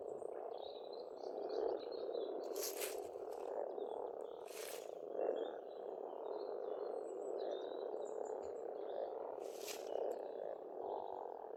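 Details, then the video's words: Continuous croaking chorus of many frogs in spring at a pond on an Estonian farmstead, with three brief sharp noise bursts and faint bird calls above the drone. "Расслабляющее пение птиц и лягушек, весна, природа."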